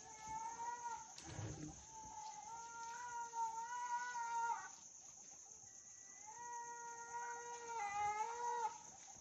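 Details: A young sloth bear in Wilpattu, Sri Lanka, cries to its mother in drawn-out, wavering tonal wails.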